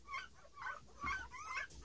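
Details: Nine-day-old Standard Poodle puppies beside their mother, recorded 21 March 2018; overlapping high, wavering squeals and whines with a soft low thump in the middle, one pup answering another.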